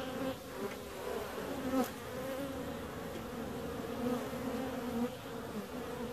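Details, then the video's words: Steady bee buzz, a smooth harmonic drone with slight pitch wavering as individual insects pass close, one short click near two seconds. "Bees 2"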